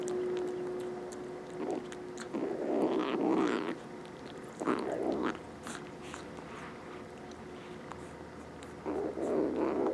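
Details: Rescued stray kittens, two of them indoors, make soft murmuring, grunting noises while eating. The low, breathy bursts come in irregular clumps every few seconds over a quiet room background.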